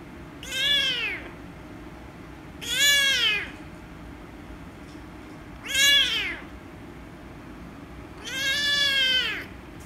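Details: Loud, drawn-out meows from an angry rescue kitten as she is petted. Four strained, bending cries come roughly every two to three seconds, the last the longest, with low steady background hum.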